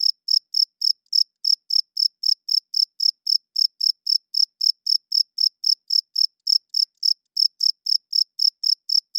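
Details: A cricket calls loudly at night, giving crisp, shrill chirps at a brisk, regular pace of roughly four each second. The background is silent.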